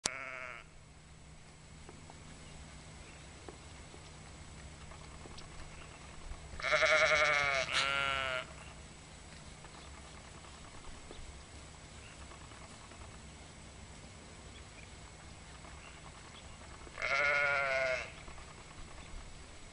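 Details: Sheep in a meadow in spring 2010 past the old Masonic Cemetery in Sheridan, Oregon, giving loud wavering bleats around the seventh second and again near the seventeenth, over a quiet rural background with faint bell tinkles and birds.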